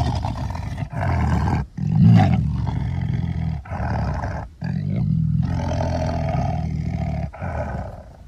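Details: Tiger roaring in deep, rumbling, gravelly bouts, one after another for about eight seconds, broken only by short pauses roughly every one to two seconds, with growling undertones throughout.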